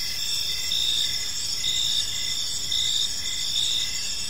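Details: High, ringing cricket chorus from a peaceful park in the evening, a constant shimmering trill with brief chirps recurring at an even pace, roughly two each second.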